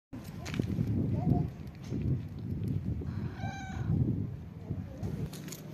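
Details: Street-living kittens with their mother: one clear, high, tonal meow lasting about half a second midway, a fainter short mew earlier, over a constant low rumbling background noise.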